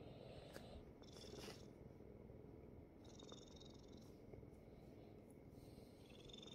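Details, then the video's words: Korean Shorthair kitten, rescued from a construction site, purring while lying on dad's belly: a steady low rumbling purr throughout, with faint brief higher squeaky sounds above. "아빠 배 위에 와서 골골골.."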